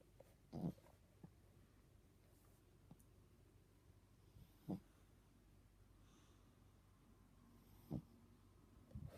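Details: Teddy the dog snoring indoors, three short snorting breaths spaced about three to four seconds apart over a low steady hum, quiet room.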